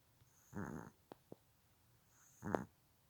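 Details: A dozing Silky Terrier makes two short, buzzy snoring breaths about two seconds apart, separated by a couple of faint clicks in a quiet room.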